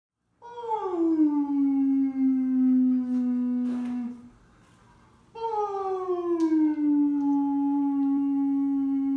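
A Siberian Husky gives two long, smooth howls, each starting high and sliding down to a steady tone.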